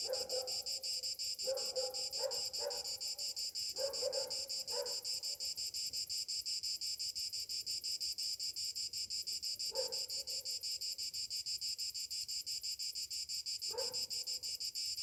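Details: A continuous, high-pitched pulsing drone of cicadas on a summer morning, throbbing rapidly and evenly throughout, while short lower-pitched calls break in several times, clustered early on and again near the end.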